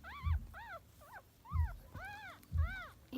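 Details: Chihuahua puppies feeding and searching for a nipple give clear arched whimpers, each rising then falling, in a steady series of about one per second, over dull rhythmic thumps from nursing movement.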